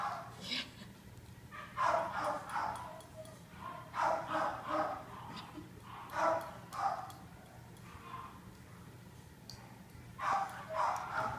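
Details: Norah, a 2-year-old female Corgi/Dachshund mix dog up for adoption, gives short barks in clusters of two or three, repeating roughly every two seconds, mixed with a person's voice praising the dog.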